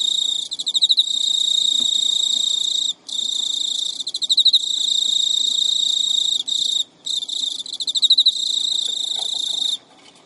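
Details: A captive male Emma field cricket (Teleogryllus emma) gives a continuous high, shrill courtship trill with pulsed bursts and short pauses, chasing a female who rejects him; recorded at midnight in early September 2011 in Japan.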